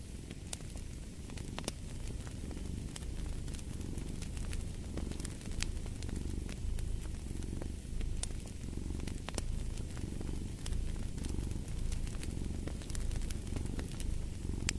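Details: Low, rumbling purr of a cat running under a busy fireplace soundscape, the breath rhythm only faintly marked while frequent snapping fire crackles punctuate the whole stretch.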